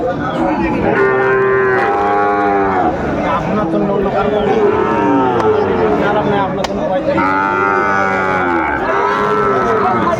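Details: Crowded Sylhet cattle market, 29 June 2024, with Sahiwal bull calves calling: long, nasal moos in bursts, a loud pair near the start and another near the end, amid continuous human chatter.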